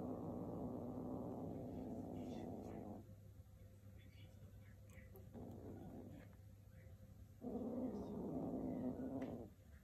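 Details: Two kittens tussling over a shoelace growl in droning, rumbling bouts lasting a few seconds each, separated by quieter gaps with faint rustling.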